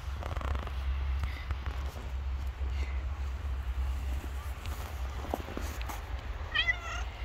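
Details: Stray cat living on the street, hungry in the hard days after snowfall; low rumbling background for most of the time, then a single brief wavering meow right at the end.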